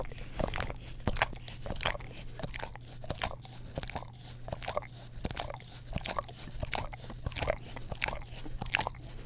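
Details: English Cream Golden Retriever dog licking an Orapup tongue cleaning brush next to a Blue Yeti microphone; crisp wet clicks and lapping in loose rhythm, roughly ninety per minute, with a low constant hum.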